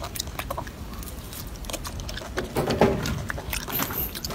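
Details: Short burst of a golden monkey feeding, crisp crunching bites and smacking chews in quick succession, getting louder toward the end.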